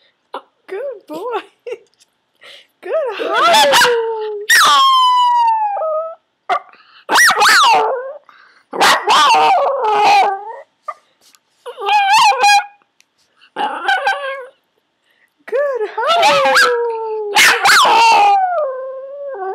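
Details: Yorkshire Terrier Cherub, being shaped to howl on command, gives broken series of yips and short wavering howls mixed with quiet human voice in the background.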